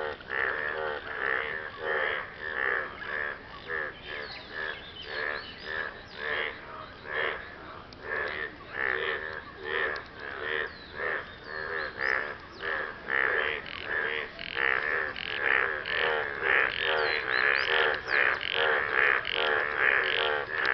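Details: Frogs calling after rain, males courting a partner; a dense chorus of rapid, repeated nasal croaks pulsing about twice a second, overlapping voices forming a steady throbbing din with no other clear sounds.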